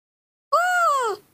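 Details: Baby monkey Nomi throwing a morning tantrum, impatient while waiting for milk: one drawn-out, whining cry that rises slightly, then slides down over about half a second, clear and tonal with ringing overtones, in a quiet room.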